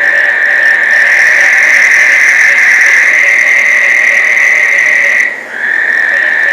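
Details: Frog breeding chorus in Placencia, Belize, during the summer rains, some frogs sounding like rubber squeaky toys; a dense, continuous high trilling drone, about four pulses a second, holds steady, briefly dips near the end, then resumes.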